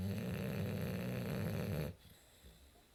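A sleeping English Bulldog lets out one long, low, gravelly snore with a fluttering rattle through it. It cuts off sharply after about two seconds, leaving a quiet room.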